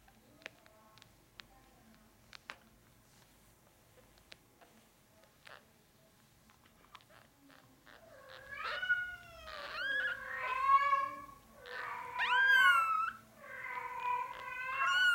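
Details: Norwegian Forest Cat kitten, a brown classic tabby and white male born 8 March 2020 at Cattery FANTARJA; after quiet taps, a run of loud, wavering, drawn-out meows follows in quick succession.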